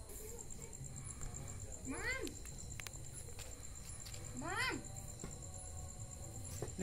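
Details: Cat fighting a scorpion, giving two drawn-out harmonic meows, each rising then falling, spaced about two and a half seconds apart, over a steady high-pitched electrical whine and low background rumble.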